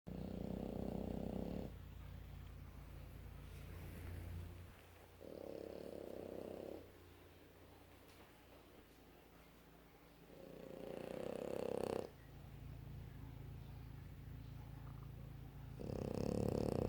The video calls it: Snoring French bulldog... Adorable😴